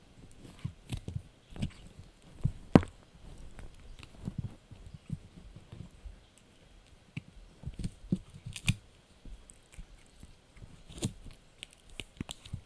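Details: Dried bunny ear being chewed by Blue, a Yorkshire Terrier puppy, indoors; steady run of crunchy, crackling bites and snips, clustered bursts with short pauses, one sharp snap early on.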